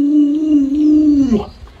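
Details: Luoluo the Alaskan Malamute, a house dog frightened by its masked owner, lets out a brief steady howl lasting just over a second that drops away at the end; a quiet indoor room behind it.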